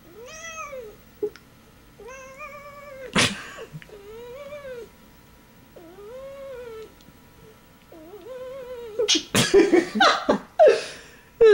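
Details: Indoor pet cat being shaken playfully, giving a run of drawn-out, arching meows roughly every second or two, some turning into wailing caterwauls, with clattering and rustling bursts near the end.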